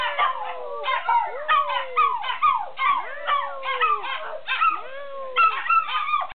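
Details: Mother dog and puppies howling as a group: overlapping drawn-out howls that bend and fall in pitch, mixed with thin, higher puppy wails, the chorus pulsing in short bursts about every second.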